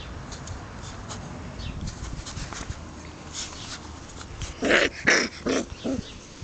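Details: Five-week-old Shetland Sheepdog puppies from a litter at a Czech kennel, filmed on 30 May 2009 with adult dogs nearby. After a stretch of rustling and shuffling, a run of four or five short, sharp yips comes in quick succession near the end.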